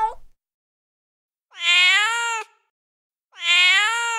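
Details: Male cat in heat calling with two long, loud, strained meows, each about a second, bright and harmonic with a slight rise, separated by a pause, a clipped call at the start.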